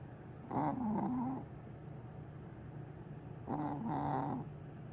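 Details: Sleeping cat named Willow, said to snore like a big dog: two drawn-out raspy snores about three seconds apart, separated by quiet breathing and a low constant hum.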